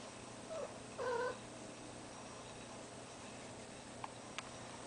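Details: Female cat in heat, indoors, kept alongside a ferret; two short wavering yowls, the second louder and lower, over a steady household hum, then quiet with a couple of faint clicks.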